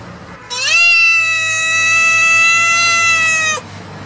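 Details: Cat giving one long, drawn-out meow lasting about three seconds, a quick upward slide at the start, then a steady, bright, strongly harmonic tone that cuts off abruptly.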